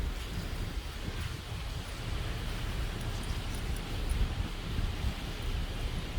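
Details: Steady outdoor wind rumble with rustling, low and broadband, no animal voice heard.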